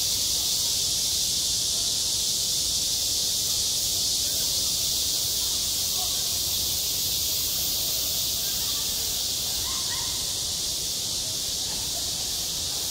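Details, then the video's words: Cicadas call at a school playground in the heat of summer, a constant, even, high-pitched shimmer with no pauses. A few faint distant voices sound toward the end. "한 여름 운동장에서 매미가 울고 있다 - 여름의 소리, 학교 종소리, 매미 울음소리"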